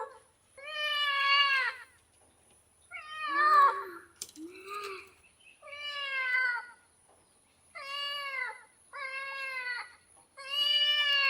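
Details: Cat giving a run of long, wavering meows, with a couple of shorter, lower, throaty calls in the middle. Seven calls in all, steady and insistent, over a quiet room with a faint constant high hiss.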